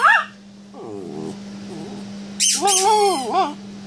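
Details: Bichon Frise cross named Bullet, a small pet dog indoors, arguing over a toy zebra: short wavering, moaning harmonic yowls, one brief and a longer rising-falling run near the end, over a steady electrical hum.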